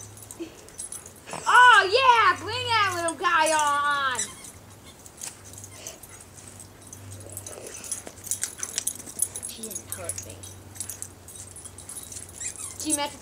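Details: Two pet dogs, Jackson and Emi, play together indoors with Emi's new toy bearing a fake squirrel tail. About two seconds of drawn-out, downward-sliding whining comes in two bursts, then quieter rustling. A person talks over the play.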